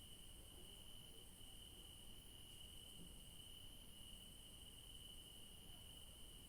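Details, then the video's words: Night chorus of garden crickets in the evening, a continuous high-pitched trill holding one even tone throughout, with a thin, fainter hiss higher still over a quiet low rumble. "Night sounds of beautiful crickets in the garden"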